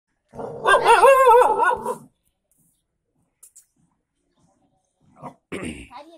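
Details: Kombai, an Indian dog, gives one loud, drawn-out, wavering bark-growl of about a second and a half with strong harmonics, then silence, a couple of faint ticks and a short burst of human voice at the end.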